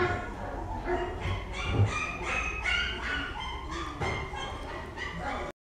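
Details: A mixed-breed dog barking in a short run of sharp, roughly once-a-second barks with bright harmonics, mixed with human speech and steady background noise.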